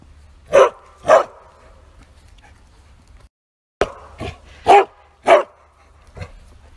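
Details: A Bearded Collie barks at full force while out on a walk, loud short sharp bursts with pauses between pairs of barks. Bearded Collie.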